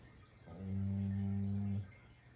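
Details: Sleeping Shiba Inu giving one heavy snore: a low droning rumble with stacked harmonics, lasting just over a second, set in a quiet room.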